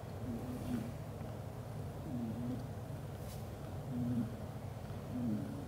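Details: Loud snoring from a black golden British Shorthair tomcat dozing with the mother cat and their kittens; wheezy falling tones on each breath, about four cycles, over a steady low-pitched rumble and a faint rustle.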